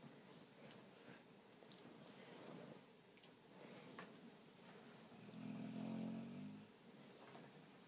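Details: Rocky the dog snoring in his sleep: one drawn-out, throaty rasp of about a second and a half near the end, over a quiet indoor hiss.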